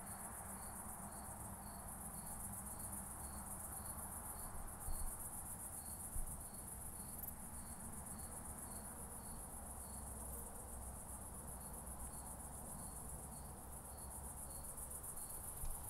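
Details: Through a Pettersson D 100 ultrasound detector, an oak bush-cricket at Starnberg, Germany, 18 July 2023, gives runs of quick regular ticks, about two per second, breaking off briefly twice, with a few sharp clicks and constant hiss.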